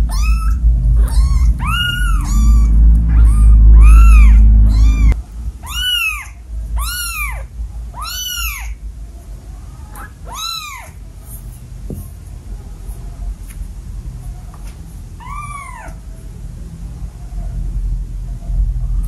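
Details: Insistent run of rapid, arching meows from a pet cat in a home with seven cats, nearly a dozen calls in quick succession over heavy low rumbling, then quieter, with a final lone meow after a pause.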